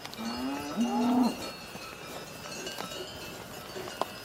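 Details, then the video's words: Cow mooing: a short two-part low moo, the second part louder and steady, lasting about a second, followed by quiet with faint ringing tones like cowbells and a sharp click near the end. "Cow Mooing Sounds"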